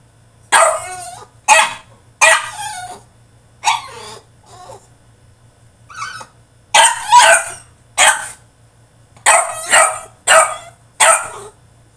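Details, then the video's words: Throwing a tantrum inside his cage, a French Bulldog gives repeated loud, gravelly barks, mostly single or paired, spaced about half a second to a second apart, over a faint constant hum. "FRENCH BULLDOG THROWS TANTRUM IN HIS CAGE!!"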